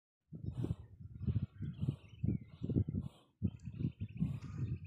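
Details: Camel with severe sarcoptic mange in Tharparkar: low, throaty grunting bursts in uneven pulses about every half second, with a short pause near the middle and faint whistled bird calls above.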